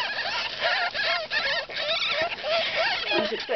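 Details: Squeaking from a pet jill's litter of ten newborn ferret kits: overlapping shrill chirps and wobbling whines, rapid and irregular, with a soft human voice faintly mixed in.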